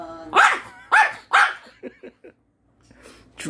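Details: Pet dog scolding its owner over a withheld Korean melon; three quick barks at the start, then softer grunts and a person's voice telling it to wait.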